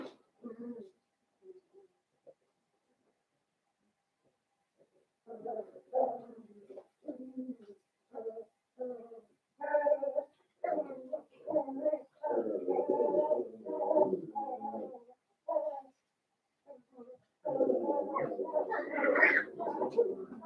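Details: Five Blenheim Cavalier King Charles Spaniel puppies, born New Year's, kept in a home puppy pen: after a few faint squeaks and a pause, repeated nasal whining yelps grow into near-continuous loud crying, rising and harsher at the end.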